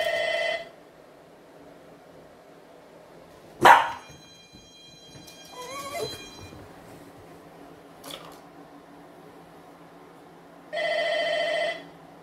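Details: Young dachshund in training with a humane anti-bark collar for excessive barking gives one sharp bark and a brief rising whine, bracketed by steady electronic beeps from the collar at start and end.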